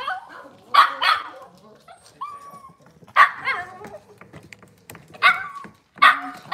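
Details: Cavalier King Charles Spaniel puppies in a kitchen on a cloudy Monday morning. They give sharp, high yipping barks in bursts, with a short whine between them and faint human talking in the background.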